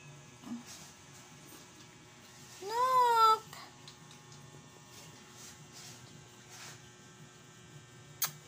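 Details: Male pet cat with an attitude, not in the mood for photos: a single clear, drawn-out meow rising then falling, with steady background music and faint room noise around it.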